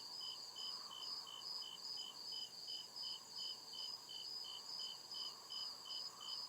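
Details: In forest darkness, crickets keep up regular sharp chirps, around two and a half per second, with an unbroken high trill behind them and a faint mid-pitched insect hum.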